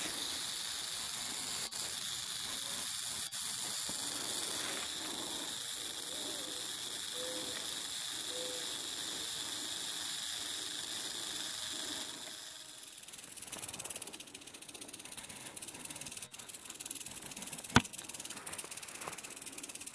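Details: Western diamondback rattlesnake giving a sustained hissing rattle that drops away after about twelve seconds, leaving quieter background noise and a single sharp click near the end.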